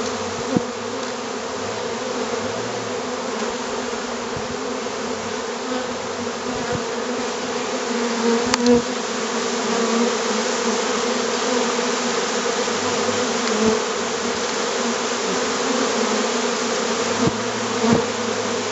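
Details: Honeybees on 25 July 2013, just after a caught swarm was contained: hundreds fly from the surrounding air into the hive box while dozens fan the entrance, guiding the others in. A dense, steady, low droning hum holds throughout, with occasional brief clicks.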